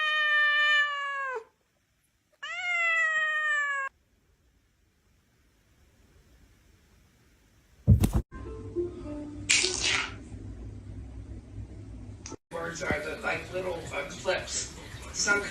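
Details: Two clear, drawn-out meows from a house cat open the clip, each with a bright rising onset that sags downward at the end, followed by quiet, then a thump and background music with noise.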